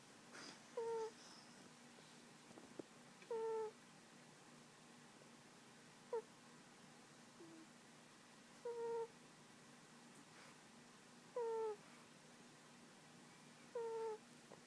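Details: Tiger, a pet cat, snores while asleep on a lap indoors: soft, quiet whistling tones that fall slightly in pitch, one with each breath about every two and a half seconds, over a faint steady room hum.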